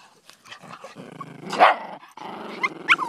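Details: Daisy and Rose, two Miniature Pinscher / Rat Terrier mix dogs, playing fetch: a steady low growling rumble, one loud harsh bark burst midway, then short high yips near the end.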